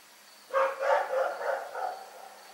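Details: Dog in Pyrga at night giving a run of four or five quick, rough barks that tail off in loudness, with a thin steady background tone.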